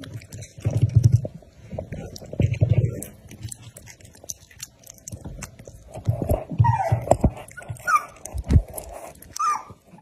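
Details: Two dogs, one black and one white, fighting indoors; deep rumbling growls come in heavy bursts around the first three seconds and again near six to seven seconds, with brief higher voice-like sounds and scuffling toward the end.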